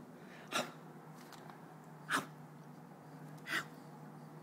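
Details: Harry, a Keeshond puppy, lying on his back while his tummy is rubbed, gives three short sneeze-like snorts about a second and a half apart over a low indoor hum.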